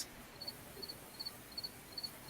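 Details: Crickets in a big silver maple tree filling a backyard, heard behind a live chat: faint, high, doubled chirps repeating steadily about every 0.4 seconds, six in a row, over a soft constant hiss.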